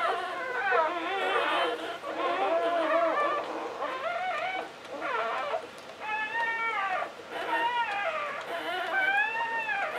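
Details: During an English Springer Spaniel's first litter, with nine puppies born, thin squeaky whimpers come in bent, arching phrases separated by brief pauses, some sliding upward at the end.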